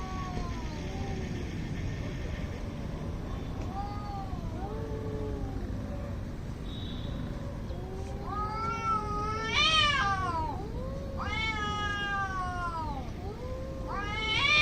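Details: Fighting cats in India trade weird, angry noises. Soft low moans build into loud, high, sharply rising and falling wails from eight seconds on, repeated in quick bursts, over a constant low rumble.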